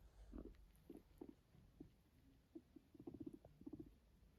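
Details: Pet guinea pig purring while yawning: soft, low, burbling pulses in short irregular bursts, with clusters of quick rumbling notes near the end, all very quiet over a faint steady background hum indoors.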